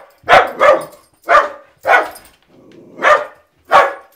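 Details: Pet dog barking in excitement at the mail carrier as the mail arrives: six sharp, loud barks, the first two close together, then single barks spaced about half a second to a second apart.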